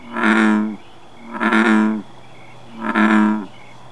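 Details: Male American bullfrog calling at night, filmed by flashlight: three deep, resonant droning croaks, each about three-quarters of a second long, repeated roughly every one and a half seconds, with a faint insect trill between them.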